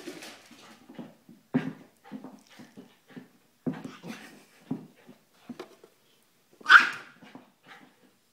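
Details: Airedale Terrier puppy playing with a Silky Terrier indoors: short, low, rough grunting growls in quick irregular bursts, a few louder lunging pulses, and one sharp higher yelp near the end.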